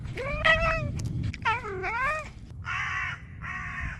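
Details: Domestic cat with unusual sounds: two drawn-out wavering meows followed by two harsh, buzzy, noisy bursts, over a low rumbling background.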